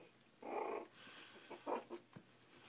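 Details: Four-week-old Shih Tzu puppies eating and playing indoors; two short, throaty, harmonic growling yips, the first longer and the second clipped, with faint shuffling and clicks between.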